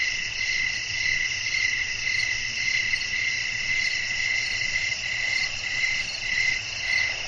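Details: Night cricket chorus in the wind: soft, repeated chirps, somewhat uneven in spacing and partly merged, ride on a thick, steady high insect drone.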